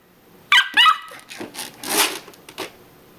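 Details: Odin the pet dog objects to his crate at afternoon nap time, eager to keep playing with his mouse toy; two short, high whining yelps, then softer rustling and scuffing indoors.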